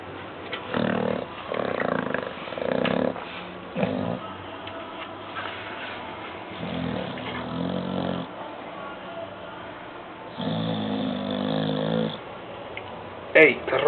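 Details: Sleeping pet dog snoring: low, rough, buzzy breaths repeated every couple of seconds, some louder and longer, with a short stretch of quieter breathing in between.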